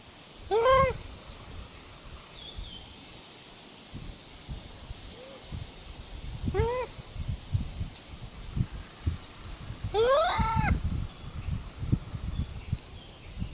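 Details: Wild Japanese macaques calling back and forth, one answering another's calls: clear rising whistled coos with bright overtones, three main calls spaced a few seconds apart plus a faint short one, over a low rumbling background.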